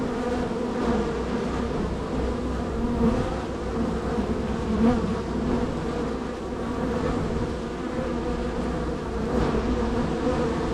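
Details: Steady hum of a highly active honey bee hive, the third on a row of hives, with bees entering and leaving; droning buzz holds level throughout, small swells around three and five seconds.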